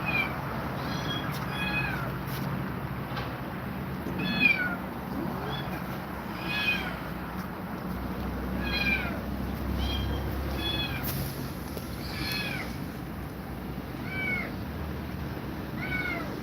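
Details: Frightened domestic cat facing two mother cats, meowing again and again in short, bent, mid-pitched cries roughly every second or two, with a low rumble and steady hiss throughout.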